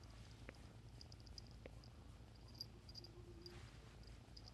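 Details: Bengal kitten purring, a steady low rumbling throb carrying through the whole stretch, with faint high ticking sounds and two brief clicks over it.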